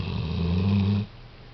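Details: COCO, a dog fast asleep and snoring like an old man: one loud, low, rumbling breath lasting about a second, then sudden near-silence.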